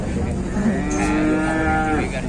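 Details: Angry, out-of-control cattle in a pen: a sustained, steady, low moo lasting about a second, with a man talking nearby and a constant background hum.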